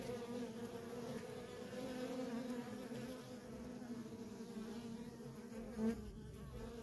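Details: Continuous hum of many worker honey bees streaming in and out of a feral colony, an even buzzing drone with a brief louder pass of a single bee near the end.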